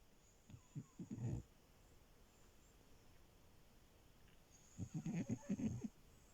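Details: French Bulldog named Milo, a puppy sleeping on a bed indoors, snoring: two bursts of low rattling, fluttering snores, one near the start and another about three seconds later, separated by quiet room hiss.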